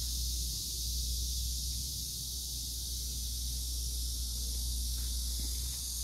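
A cicada's steady, high, hissing drone runs without a break over a low background rumble.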